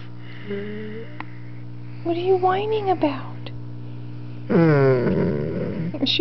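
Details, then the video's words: Two-year-old, 125-pound Doberman Pinscher named Alyuss, indoors, grunting and whining while annoyed by a puppy almost four months old. A short steady tonal whine, then a wavering moaning grunt-whine. A woman talks over a constant electrical hum. "Nerria making Alyuss grunt (Doberman Pinscher)"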